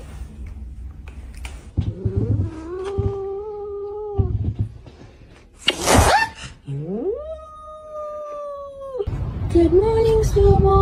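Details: Domestic cat, one of a set of funny clips, lets out long drawn-out yowls, each held steady for about two seconds on a low wavering tone, between bursts of shuffling noise and a sharp clatter.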